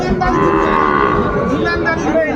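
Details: Small bull and heifer calves for sale at a cattle market in Mymensingh, Bangladesh, 14 January 2025: a sustained, even-pitched moo with layered overtones runs mid-clip while men haggle close by.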